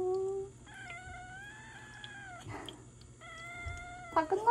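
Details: Home on her first day after peritonitis treatment, seven-month-old Ragdoll kitten Jelly gives two sustained, slightly wavering meows around an injection, with a brief rustle between them and a woman's voice.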